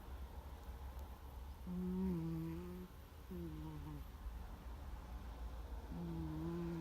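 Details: Gomataro the cat asleep and snoring, a surprisingly loud 'guu guu' like a middle-aged man: three low tonal snores lasting about a second each, dipping slightly at the end, with a quiet background hum.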